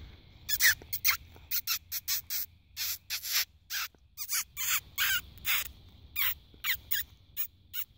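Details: Barking fox investigated at night under a spotlight: a fast run of short, rasping barks, more than two per second, in an uneven rhythm against a quiet background.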